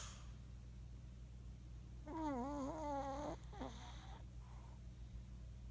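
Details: Sleeping Shih Tzu snoring: one wavering, whistle-like nasal tone lasting just over a second, then a brief second squeak after a short pause, over a steady low indoor hum.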